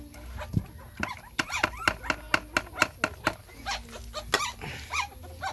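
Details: Puppies breastfeeding from their mother dog: short, high, squeaky whimpers with curving pitch, set among a rapid run of sharp ticking clicks about two per second, then more wavering whines near the end.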